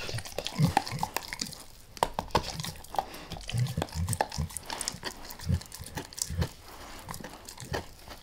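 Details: Max the dog gnawing a beef rib, recorded close up with no talking: irregular wet crunches, bites and tooth clicks in quick clusters, with soft low thumps between sharper cracks.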